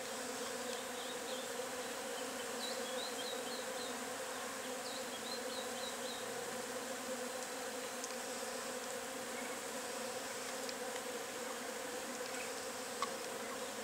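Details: Agelaia multipicta wasp nest humming with a constant thick buzz, while short high chirps from small birds come in two quick bursts over the drone.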